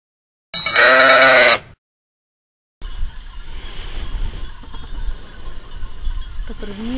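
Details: Sheep on the island of Lesbos give a single loud, wavering bleat lasting about a second, followed by a pause and then a steady rumbling background noise.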